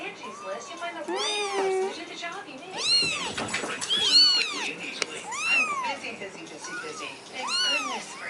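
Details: Several kittens, away from their mother for the first time since their eyes opened, meow insistently, their high, arching cries overlapping as they call for her.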